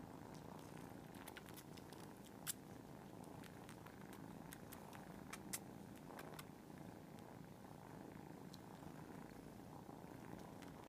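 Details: Several cats purring together in a soft, even, grainy rumble lasting the whole stretch, with frequent brief clicks and two louder taps.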